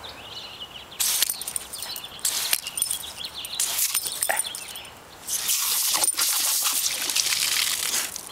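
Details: Outdoors, a water nozzle sprays and splashes in loud hissing bursts that stop and start, with no barking heard.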